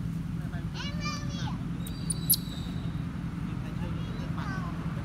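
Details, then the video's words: Newborn monkey named Solo cries loudly when the mother, called Queen, pulls her breast away while nursing. Two arched, harmonic wails rise and fall, one near the start and a shorter one later, over a steady low engine or traffic hum. "Newborn Solo cry loudly cos queen monkey pull breast out"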